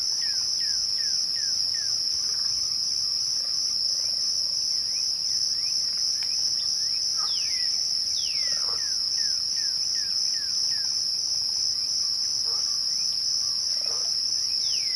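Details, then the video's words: Twilight crickets produce an unbroken shrill trill. Short descending bird chirps are heard early, then several louder falling whistles and a few soft lower calls. "twilight crickets"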